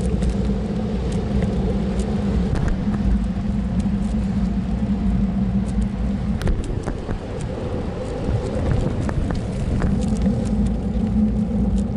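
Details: Steady outdoor engine and traffic rumble with scattered faint clicks throughout, and no animal voice anywhere.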